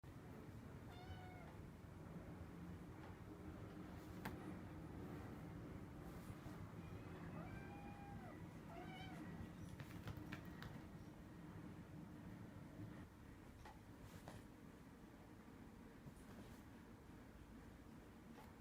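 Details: Rescued domestic cat, one of four cats in a foster home, startled by its own tail while scratching its back; a few soft, short meows early and again around the middle, with faint clicks and household background.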